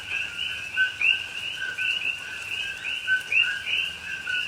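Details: Coqui frogs calling at night in rain in a Hawaii rainforest, Pahoa, October 2021: a dense chorus of overlapping two-note chirps, a lower tone sliding up to a higher whistle, repeated several times a second over soft steady rain hiss.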